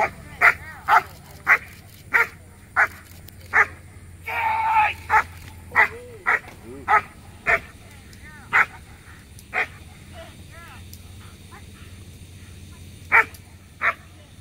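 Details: A steady string of sharp, punchy barks from Letty von Prufenpuden, a 15-month-old black German Shepherd, during her P1 protection routine at a Working Dogs of America Protection Dog Competition; a longer noisy burst interrupts early, and the barks spread out later.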